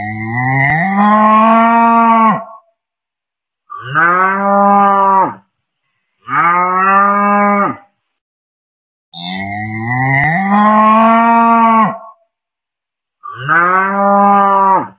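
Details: Cow calling repeatedly: five strong, drawn-out moos of one and a half to two and a half seconds each, some opening with a rough, rising onset, separated by brief quiet pauses.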